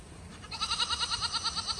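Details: A goat in the snow gives a loud, quavering bleat that pulses rapidly, like a shaky vibrato.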